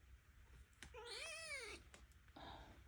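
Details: A noisy, ornery foster kitten, just woken from a near nap, gives one drawn-out harmonic meow that rises then falls, with faint clicks around it in a small indoor room.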